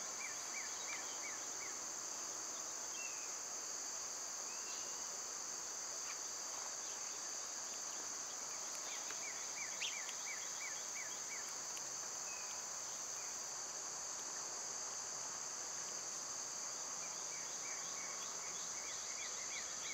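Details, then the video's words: Steady, unbroken high buzzing of summer cicadas fills the recording, with rows of quick repeated bird chirps scattered across it and a few single higher notes. "Birds & Squirrels w/ Cicada sounds"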